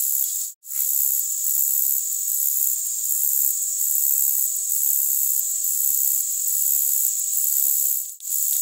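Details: Conocephalus brevipennis, the short-winged meadow grasshopper, stridulating at very high pitch, with the sound boosted by equalisation: an unbroken sizzling hiss with soft buzzy pulses about twice a second and two brief breaks.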